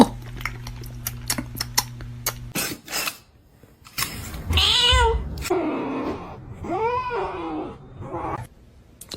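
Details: Crying kitten: a run of sharp clicks and taps, then two arched, wavering meows about two seconds apart, with rustling between them and a soft cough-like sound.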